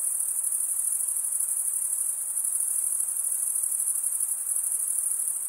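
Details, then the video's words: High, tightly pulsed cricket trill running without pause at an even loudness, alone and clean. "Most relaxing cricket sound for 8 hours"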